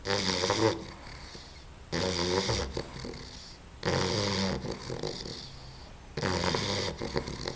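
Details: Puppy Babs asleep and snoring loudly, each rough, buzzy inhalation lasting about a second with quieter pauses between, four snores repeating every two seconds or so, indoors.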